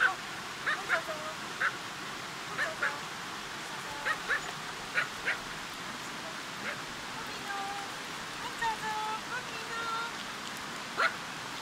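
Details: Fourteen Pomeranian Toy Pom puppies and dogs out at a river: short, sharp, high yaps scattered across the clip, some in quick pairs, over a steady broadband background hiss.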